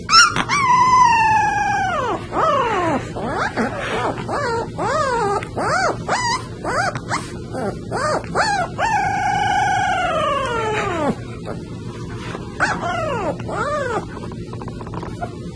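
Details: Puppy making rapid, wavering howls and yelps, repeated quickly in arching, up-and-down notes over steady background hum.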